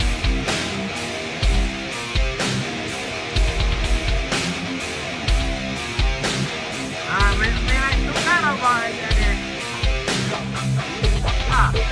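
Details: Heavy rock music with driving drums and distorted guitar fills the recording, with brief bent guitar notes near the end and no animal voice standing out.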